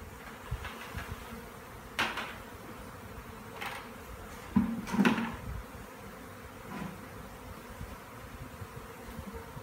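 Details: Honey bee swarm in McAllen, Texas, which arrived the same day, being scooped into a box for relocation: a steady low droning hum throughout, broken by several sharp knocks and thumps from handling.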